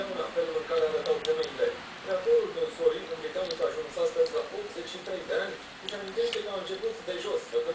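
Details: Wild boar piglet named Atila, kept in care, gives a run of short, rapid mid-pitched grunts in quick bursts that keep going without a break, with a person's voice nearby.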